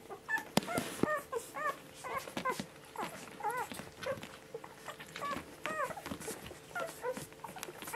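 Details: Seven one-week-old Border Collie puppies, five females and two males, born to a mother named Honey, whimper while feeding; short arched squeaky whines repeat in overlapping bursts through the clip, with soft suckling and shuffling noises underneath.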